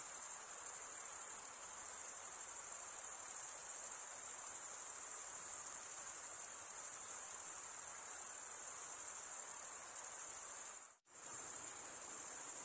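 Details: Crickets stridulating in a continuous high-pitched shimmering trill, with a brief silent gap near the end, no other sounds.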